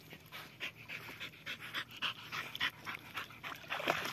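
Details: Australian Cattle Dogs, a herding breed, playing by the water in summer 2024: quick, breathy panting bursts repeat several times a second, mixed with faint whimpering tones over a steady low hum.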